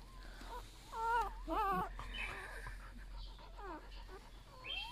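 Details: Newborn golden retriever puppies, part of a litter of eight, whine while being handled: short quavering squeals in clusters, with low thumps and rustling of handling underneath.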